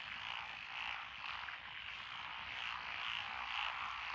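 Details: Frog chorus from lotus rice paddies in Echizen, Fukui, Japan, recorded 12 June 2021, with tree frogs and pond frogs among the named callers; thick, buzzing croaks overlapping in rapid pulses, rising and falling about twice a second.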